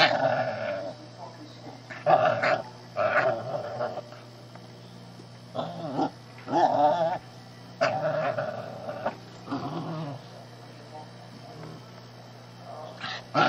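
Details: Little shih tzu puppy pestering a cat that tolerates it: repeated brief, high-pitched playful growls and yips in bursts about every one to two seconds, with quiet pauses and a constant low electrical hum beneath.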